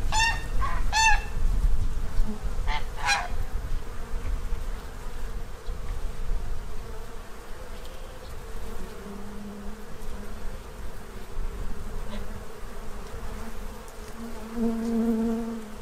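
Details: Bees feeding at a tray in Central Illinois, fattening up to prepare for winter; a low droning hum that swells around nine and fourteen seconds, with farm geese honking loudly in the opening seconds.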